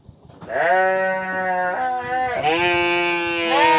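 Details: Sheep with two long, steady, nasal bleats in close succession, the second rising slightly in pitch at its start.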